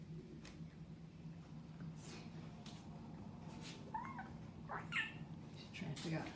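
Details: Kittens give two short, high meows that bend up and down, near the four- and five-second marks. A steady low room hum runs underneath, with people's voices and soft clicks nearby.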